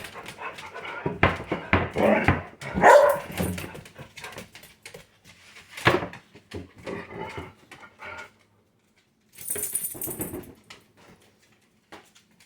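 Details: Indoor pet dog, one of the pair Sadie and Boots, giving a series of short barks and grumbling yowls in an uneven run, then a pause, a brief high squeak and a final outburst, with scattered household noises.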